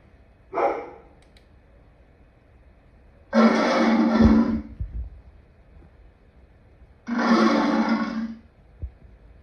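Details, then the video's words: Three separate lion roars: a short opening burst, then two longer, powerful, raspy roars about four seconds apart, with quiet between them. "Lion sounds part 2"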